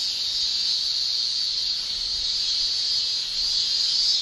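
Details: Male cicadas in summer in Japan shrilling with their tymbals: one steady, high, hissing drone with no breaks, holding an even loudness throughout and swelling slightly near the end, with no other sounds.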